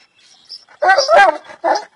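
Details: Bully Kutta dog letting out a short run of gruff barks, one long strained bark followed by a shorter, clipped one.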